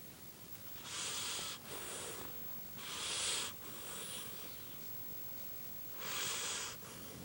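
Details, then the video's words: Sleeping dog snoring loudly, breathy hissing rasps of under a second each, coming in quick bursts with short gaps and a longer pause before the last snore, in a quiet indoor setting. "Snoring demon dog"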